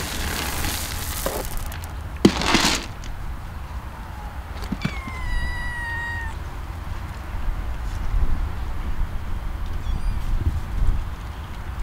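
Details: Street kittens living among rocks under a desolate bridge in Istanbul, Turkey: a faint short mew, then one clear drawn-out meow sliding slightly downward midway, over steady low rumbling background with loud bursts of scraping noise near the start.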